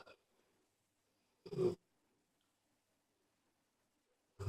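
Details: Iza, a mother dog, sleeps beside her young puppies after a long, exhausting day, snoring softly: short, low, breathy snorts spaced about three seconds apart, with near silence between them.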